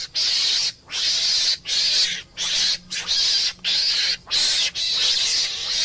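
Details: Meerkat, a mongoose, uttering a fast string of grating, hissy screams. Short noisy bursts repeat irregularly with brief pauses between them.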